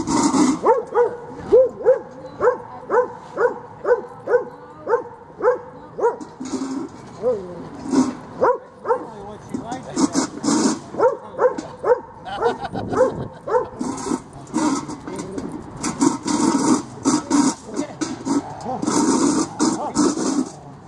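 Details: Dogs Freddie and Miley playing tug of war at Lakewood dog park, with a steady run of short harmonic barks repeated about twice a second for the first half, then looser calls under human chatter and rustling.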